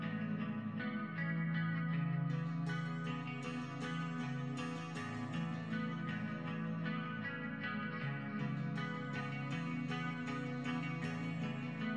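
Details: Plucked guitar music with chorus and echo effects plays steadily from start to finish.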